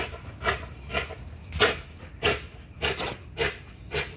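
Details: Pitbull-type XL American Bully working out on a spring pole, exercising neck, jaws and legs; loud, rough breathy pants come in uneven bursts, about eight in four seconds, over low background rumble.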